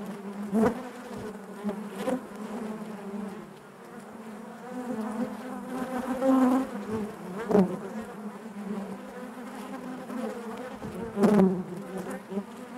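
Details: A crowded hive of honey bees gives a constant low drone, layered wingbeat buzzes swelling and receding, with sharper close bursts near half a second, seven and eleven seconds.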